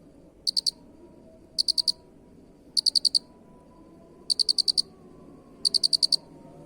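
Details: Unusual cricket chirping prepared as master material for teaching caged birds: five evenly paced bursts of four or five high, clicking pulses, roughly one burst every 1.2 seconds, above steady low hum.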